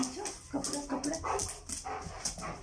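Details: German Shepherd happy after its owner comes home from the office, giving short excited whimpering whines and yelps amid a woman's voice and household noise.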